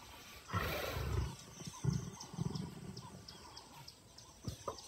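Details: Casper, a male lion and father, reacting as his cheeky cub daughter repeatedly attacks his tail: a deep, rumbling growl of about one second, then a series of shorter low grunting bursts, with faint high chirps in the background.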